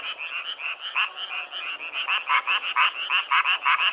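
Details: Frogs, recorded firsthand, produce short rasping croaks in quick succession, several callers overlapping, growing louder and more distinct in the second half as strong pulses come nearly three times a second.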